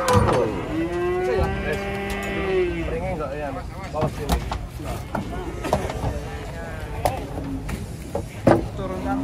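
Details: A very thin, dirty cow being coaxed to step down slowly gives a long, loud moo lasting almost three seconds that sags slightly in pitch, followed by clattering, knocks and a person's voice.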